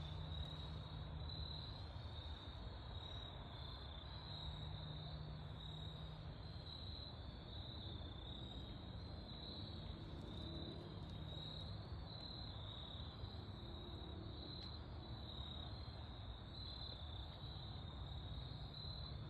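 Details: Crickets chirp steadily in a high, pulsing chorus over a low background rumble, in autumn woods at golden hour.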